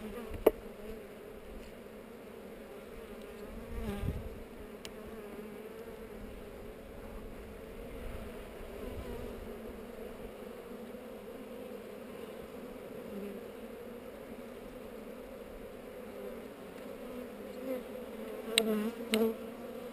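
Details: Honey bees at an opened hive on heather during an inspection, GoPro recording: a constant, layered droning buzz of many bees for twenty seconds, with a thump near four seconds and sharp clicks at the start and end.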